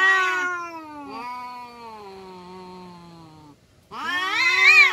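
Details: Village cats in a fight, including a domestic kampung cat, give a loud yowl, then a long, slowly falling moan lasting over two seconds, a short silence, and a sudden harsh, rising screech.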